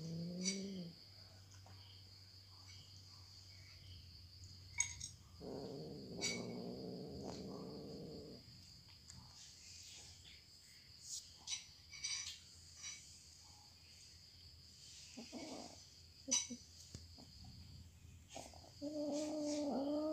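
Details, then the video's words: A cat eating indoors: short low humming, murmuring bursts near the start and a longer one mid-way, scattered soft clicks and smacks, a steady high whining tone in the background. "The sound of cats eating"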